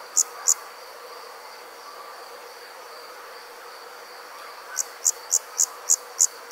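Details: Two crisp high cricket chirps open, followed by a long silent stretch of about four seconds, then a steady series of seven chirps at night with low ambient hiss.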